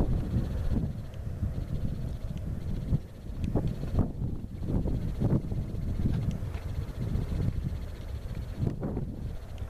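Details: Stampede of American bison, Yellowstone National Park; deep drumming of running hooves surging and easing in waves, with sharper knocks around four and five seconds and gusts of wind across the microphone.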